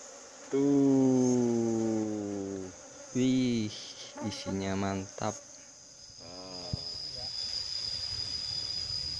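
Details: Wild honey bees at a nest in a small hole in the ground, disturbed as the nest is opened and honey harvested by hand. Loud, deep droning buzzes that sweep slowly downward, then shorter wavering bursts, over a thin, steady, high insect whine.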